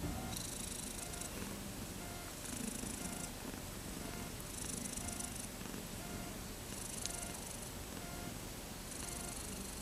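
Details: Young kittens at thirteen days old, born 31 August 2014, eager to play, give a continuous low purring rumble while brief higher hissy bursts repeat at roughly two-second intervals behind them.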